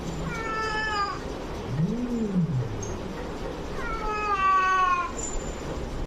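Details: Domestic cats during a live fight: two drawn-out harmonic yowls about three seconds apart, the second louder and wavering, with a low rising-and-falling moan in between over steady background noise.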